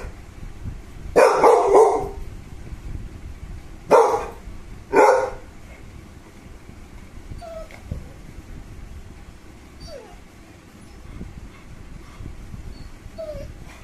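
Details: American Bully named KOKO, a pet dog born 18 December 2019, gives three loud bursts of barking in its first five seconds, followed by quieter high whines and a low background hum.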